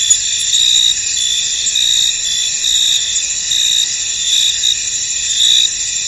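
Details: A foggy field carries a steady, shrill cricket chorus of high trills that rise and fall gently in loudness without clear breaks.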